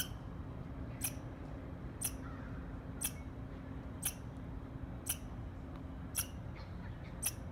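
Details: Squirrel chirping: short, sharp, broadband chirps repeated steadily about once per second, eight in total, over a low constant hum and faint background noise.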